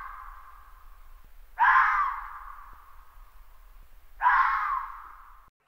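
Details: Red fox (Vulpes vulpes) gives two harsh, hoarse screams in a row, each starting abruptly and trailing off.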